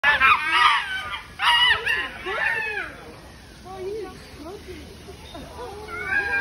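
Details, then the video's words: Chimpanzees fighting over food at the Oregon Zoo: a burst of loud, harsh, overlapping screams, then quieter, short, bent hoots and squeals that trail off before a final rise of higher cries. "Chimpanzees fighting over food"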